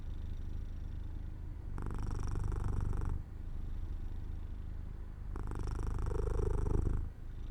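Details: Jojo the cat, nodding off in sunlight near an open window, gives a low rumbling purr; two louder, buzzier swells about a second and a half long stand out against a quieter, steady underlying hum.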